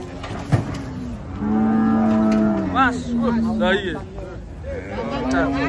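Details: Cattle being unloaded from a truck: one long, steady low moo holds for about two and a half seconds, followed by shorter wavering lows, with people talking throughout.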